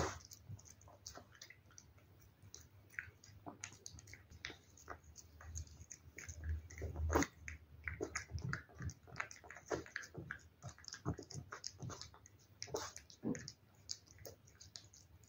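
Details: Steady run of a cat's chewing and lapping on wet food: quick sticky clicks and smacks repeated densely for most of the stretch, quieter at the start and end.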